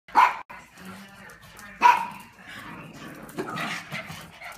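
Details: Female standard poodle indoors playing with a Christmas toy that covers her eyes; two sharp single barks about a second and a half apart, followed by softer rustling and a voice.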